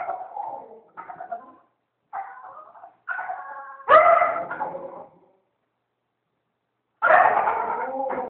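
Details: A Maltese puppy at a dog groomer's makes a string of odd, wavering, monkey-like whines and yowls with short pauses between, instead of ordinary whining.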